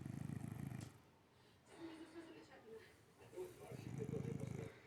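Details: Sleeping cat with open eyes snores in two low, grating bursts near the start and end, separated by quieter breathing, while human voices continue in the background.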